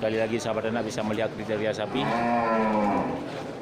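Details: Local cattle among many large animals at the Geurugok livestock market on 29 March 2022, ahead of Ramadan. Nearby talking gives way to a single low, level moo that sags slightly before ending.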